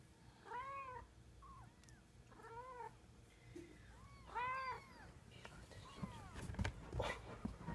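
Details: Little kitten learning to walk, recorded April 2014, repeats clear harmonic meows about once a second, rising and falling, with a few shorter chirps and rustling handling noise toward the end.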